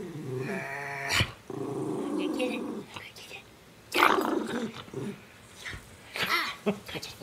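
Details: Miniature schnauzer Jakie gives sustained rough growls lasting over a second each, broken by sharp yappy bursts; human voices mix in around the growling.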